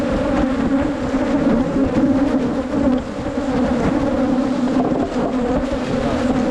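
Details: Dense, loud buzzing of wild Asian honey bees at a cavity nest during honey-hunting season 2022, a continuous two-toned drone with no pauses and a rough, hissy texture above it.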